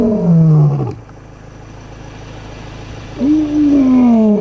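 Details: Lion (Panthera leo) walking in the Kgalagadi Reserve gives deep, moaning roars that slide downward, separated by a brief quiet gap, probably roaring to locate its brother nearby.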